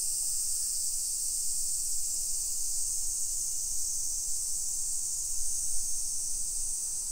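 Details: Cicadas in summer along the streets of a modern hillside suburb in Nisshin near Nagoya, Japan, early afternoon, 28 July 2021. Unbroken high shrill buzzing fills the air throughout, with soft low thuds of walking beneath.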